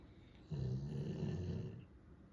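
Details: Sleeping Golden Retriever Ran, said to snore loudest of the three household dogs, gives one drawn-out, deep, rumbling snore lasting about a second and a half in a quiet room.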